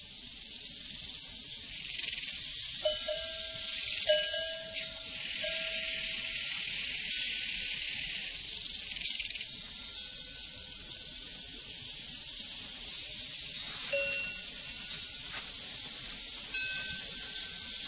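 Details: Crickets chorus on a prairie, a dense unbroken high shimmering trill filling the background, while ringing cowbells sound clearly in short tonal clangs at intervals and low rural ambience hums underneath.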